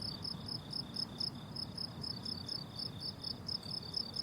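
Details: Summer meadow crickets in bloom-time grass: shrill, evenly pulsed chirps tick along about twice a second in overlapping layers, over a quiet low background hum.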